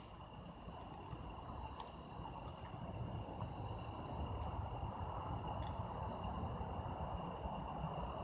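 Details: Autumn insect chorus captured for sound effects, with unbroken high-pitched ringing trills in several stacked bands that hold steady throughout, a faint brief click, and dense low-frequency rumble underneath.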